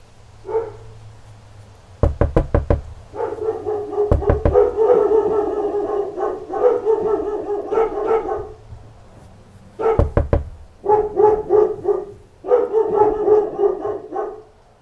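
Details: A pack of dogs barking at knocks at the door: a rapid series of sharp knocks, then several dogs bark loudly in overlapping bursts, pause, and resume after another round of knocking, with a low hum underneath.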